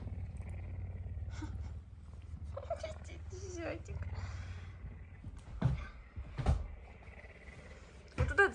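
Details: Pet male puma purring loudly on a morning, hungry and begging for food beside its owner in bed; a low vibrating rumble runs under a woman's soft speech, with bedding rustles and a few sharp knocks.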